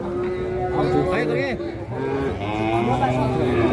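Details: A short, wavering moo from a giant black cow in Indonesia rises and falls briefly midway, half-buried under steady background music and a voice speaking Indonesian.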